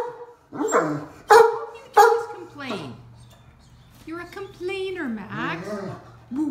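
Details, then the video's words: A deaf Great Dane stuck on a golf cart grumbles in protest. Two sharp barks are followed by long, sliding, howl-like moans that rise and fall, with a steady low engine hum underneath. "Talkative Deaf Great Dane Gets Stuck on the Golf Cart"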